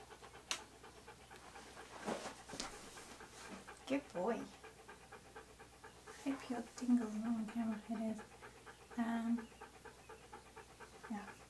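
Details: Siberian Husky Key, being posed for photographs in hats and clothes, keeps up rapid rhythmic panting, close to three breaths a second, while a person talks to him in Spanish at intervals.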